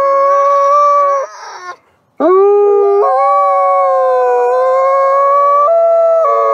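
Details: Two captive ambassador wolves at a wolf conservation center howling together in harmony: long sustained tonal howls, one held steady, breaking off briefly, then a second howl rising sharply and gliding between pitches in overlapping voices.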